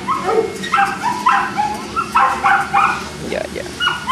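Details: Boston Terrier dogs at a kennel, Perrera Jamundí, near Cali, Colombia: sharp, high-pitched yapping barks in quick bursts about every half second, some with a whiny edge, running for the full four seconds over a faint steady hum.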